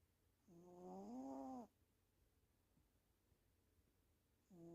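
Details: Female pet cat snoring while asleep during the day: a soft, droning, tonal snore lasting about a second, rising slightly in pitch, followed by quiet until the next snore begins about four seconds later, in a still indoor setting.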